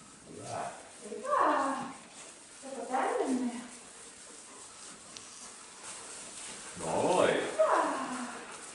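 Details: Herding sheep for the first time, Neo the dog voices irritation at a stick, not at the flock: four strained, yelping barks falling in pitch, clustered in the first three seconds and again around seven seconds.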